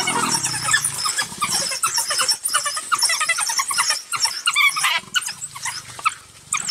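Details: African wild dogs hunting a leopard squeal and twitter in a dense, rapid, high-pitched chorus, the calls overlapping without pause. A low, steady tone, possibly music, runs faintly underneath.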